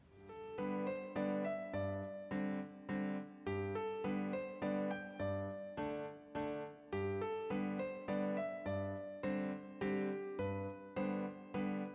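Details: Gentle, rhythmic piano music plays throughout in repeated chords, and no animal sound comes through.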